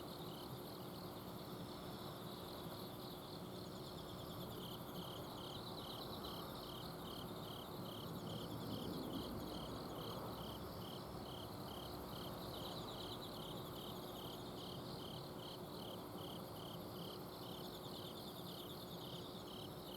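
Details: Autumn insects singing at night in a home garden, Azumino: one high, clear chirp repeats about four times a second with steady rhythm, other fainter trills behind it, and the continuous hum of an air-conditioner outdoor unit.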